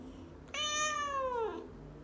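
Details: Pet domestic cat indoors, a 'talking' cat that answers its owner with a meow heard as 'no', a learned behaviour. One drawn-out meow of about a second, bright and steady, then sliding down in pitch at the end; low hum behind.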